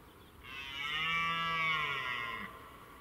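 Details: A red deer in a forest on a morning during the rutting season gives a long, drawn-out bellow, steady and rich, dropping slightly at the end.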